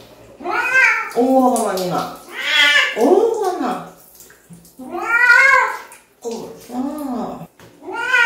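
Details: Cat yowling during a bath, giving rapid back-to-back complaining meows that arch up and down in pitch, some short and clipped, others stretched, with barely a pause between cries.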